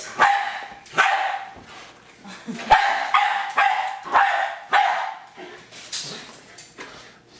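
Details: Jack Russell Terrier named Hali, a pet dog, attacking a remote-controlled toy car; sharp high barks burst out roughly every half second to second in an excited run, with clattering from the car between them.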